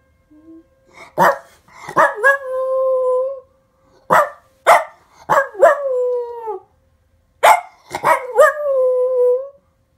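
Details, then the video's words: Dog howling in response to the monthly test siren, with its owner humming to coax it. Bursts of sharp barks and yips run straight into short wavering howls that slide downward, in three clusters spread over ten seconds. "Henry Sings Along With Test Siren!"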